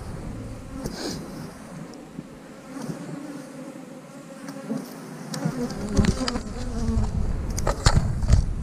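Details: Honey bee colony in an eight-frame hive, opened while frames are pulled and checked for eggs, larvae and drones; a dense low droning hum swells toward the end, with scattered clatter and scraping from handling.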